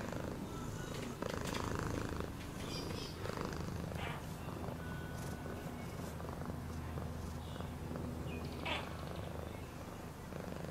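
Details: A cat's purr, a dense low vibrating hum that holds steady from start to finish, accompanied by occasional faint high chirps and light clicking noises.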